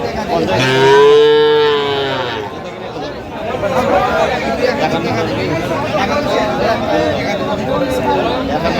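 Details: At Aftabganj market on 29 November 2025, a Sahiwal bull calf lets out one long, full moo of nearly two seconds that swells and fades. Bargaining voices and crowd noise continue afterwards.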